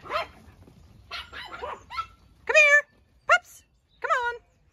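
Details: Farm sheepdogs on a regenerative sheep farm in County Kilkenny, Ireland, being called back from the sheep: a few excited yelping barks and whines, some short and sharp, others rising then falling, with low background rumble.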